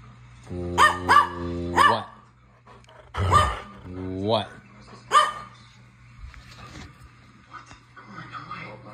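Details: A standard poodle gives a few harsh, drawn-out barks and grumbles, with a person's voice nearby.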